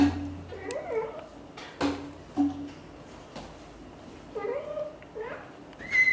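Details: British Shorthair kitten trying to leave the nest while the mother cat coaxes him to stay and play with his siblings; several short mews that rise and fall, spaced a few seconds apart, over soft background music.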